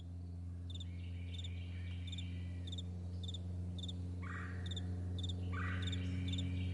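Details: Meadow crickets at morning, chirping in quick regular pairs several times a second over a strong droning low hum, with two short rising sweeps of another sound near the end.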